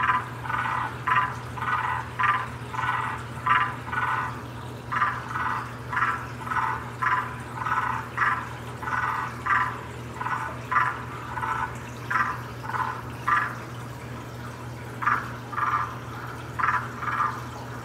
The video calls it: Waxy monkey tree frog mating call.